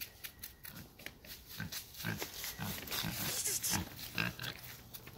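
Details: Wild pig at Makaha Valley Towers giving short, rough grunting bursts at irregular intervals, several per second at times, set against a steady hiss of broadband background noise.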